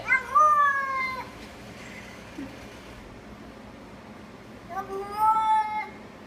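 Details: Cat's strange vocalizing: two long, clear meows, each slowly descending in pitch and lasting over a second, separated by roughly four seconds of quiet with a low hum.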